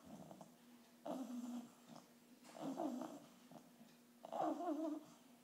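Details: Snoring from an English bulldog puppy, 8.5 weeks old, during its first visit to the vet: three rough, rattling inhalations roughly every one and a half seconds, each a throaty grinding rasp, with quiet room hum between.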